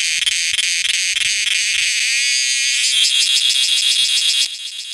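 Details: A cicada, heard calling night and day as summer arrives, gives a loud, continuous high-pitched buzz with a fast rattling pulse.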